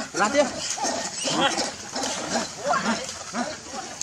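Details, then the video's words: Baby monkey named Leo, hungry and crying at its mother while begging for milk; loud, wavering, harmonic wails come in short repeated bursts, about six cries over four seconds, with brief pauses between them. "Very Pitiful Leo Crying Angry Mom Because Need Much Milk I So Lovely Baby Monkey"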